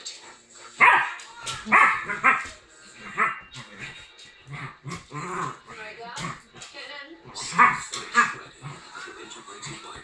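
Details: Two dogs, a Rhodesian ridgeback and a Lhasa apso Jack Russell cross, playing together as best friends; sharp barks burst out near the start and again near the end, with human voices talking over much of the play.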